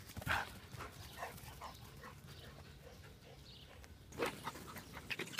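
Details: Dogs at a dog park on a Sunday morning, among them Labradors, a boxer, a Brittany spaniel and a small beagle; a short bark sounds near the start and another about four seconds later, over steady scuffling and rustling.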